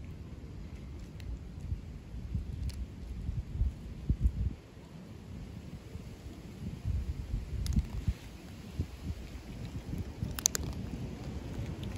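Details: Outdoor wind rumble with faint traffic-like noise and occasional clicks; no animal calls are heard.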